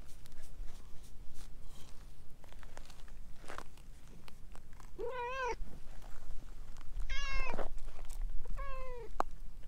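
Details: Stray orange tabby cat, a talkative one winding around a person's legs, utters three wavering meows in quick succession over light rustling and footsteps.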